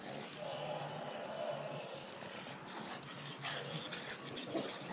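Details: Bulldog at play, giving steady whining, nasal tones held across several seconds, with a few short breaks, while people talk in Spanish in the background.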